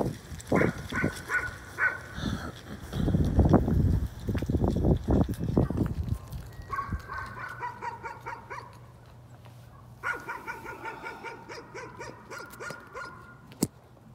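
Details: A dog keeps up nuisance barking, rapid yapping runs in the second half, preceded by lower thumping noises and a steady background hum.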